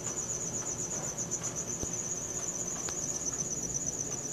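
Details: Cricket at night, recorded on a Samsung Galaxy S4: a steady high-pitched pulsed chirping runs unbroken through the clip, with faint background hiss and occasional small clicks.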